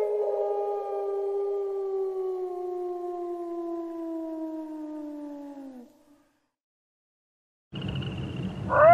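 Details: Wolf. A wolf holds a single drawn-out howl for several seconds, steady and mournful, gradually sinking in pitch and dropping away at the end. After a pause, a burst of rough noise comes in with a fresh rising howl.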